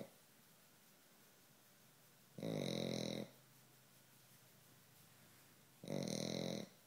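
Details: Very loud snoring from a Pekingese, two harsh, buzzy snores about three and a half seconds apart, each close to a second long, with soft breathing noise between.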